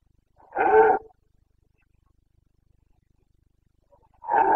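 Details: Carpathian red deer stag in Bucovina's rut, late September 2022: a full, resonant half-second roar, then quiet until a second deep bellow begins at the very end.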